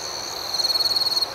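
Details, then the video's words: A single cricket at night over a soft high chorus, giving a fast pulsed trill of about a dozen evenly spaced chirps in under a second. "Soothing Cricket Sounds"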